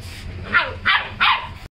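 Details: Labrador puppy barking while playing with a rooster: three short, bright yapping barks about 0.4 seconds apart, over a faint low background hum.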